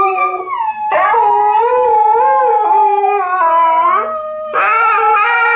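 A Malamute and a Husky howl together, their voices sliding up and down in long, wavering tones that overlap and weave around each other. The howls break off briefly and then resume loudly.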